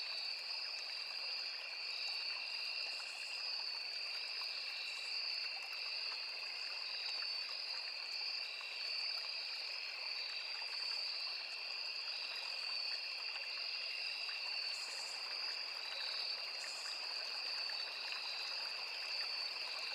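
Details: Forest insect chorus of crickets, cicadas and other insects near a small river: unbroken high-pitched ringing trills, the top band throbbing rapidly, a few short buzzy bursts above, all over the soft continuous hiss of the stream.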